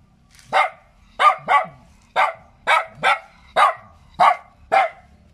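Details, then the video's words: Cute small dog yapping in clear, evenly spaced barks, some paired, each short and mid-pitched with a brief fall; soft low rumble beneath. "เสียงหมาเห่า หมาน้อยน่ารัก เห่าดีจัง"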